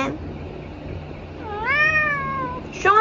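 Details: Tabby cat enjoying treats gives a long, drawn-out meow that swells upward, then slowly sinks and fades over about a second, followed by the sharp onset of another meow cut off at the end.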